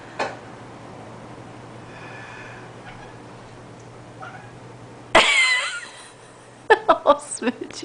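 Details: Pet cat that dislikes people coughing, reacting indoors: after a quiet stretch, a sudden loud harsh burst with a wavering yowl, then several short clipped calls in quick succession; voices are also present.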